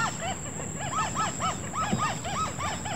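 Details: A frog chorus in rice paddy fields at Ranca Fari, Indonesia: many overlapping arched, bubbling notes repeating rapidly over a steady high hiss, like a choir.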